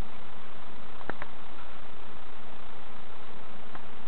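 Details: Honey bees at a hive being checked by novice keepers at Summerwood Lane Allotments and Community Garden; a dense, steady low hum fills the clip, broken by a couple of brief knocks near the one-second mark.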